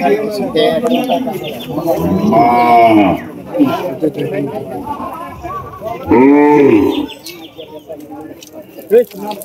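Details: Cattle at a large cattle and goat market in Bangladesh, with two drawn-out lowing moos about three and a half seconds apart, amid crowd chatter and background music.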